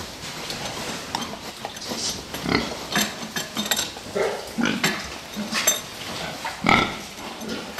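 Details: Fattening pigs in a pen, Czech footage, giving short grunts and a few sharp squeals, overlapped and irregular, with metallic clanking of feeders throughout.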